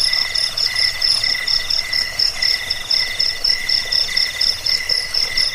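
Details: Cricket sound played to deter rats, ease sleep and train birds; thin metallic chirps in rapid regular bursts about twice a second, multiple overlapping callers over soft background hiss.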